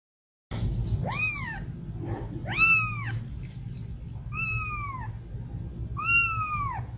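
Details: Domestic cat, described as sick, meowing to ask for food or attention: four clear, drawn-out meows, each rising then sliding down, spaced about every one and a half to two seconds over a low steady hum.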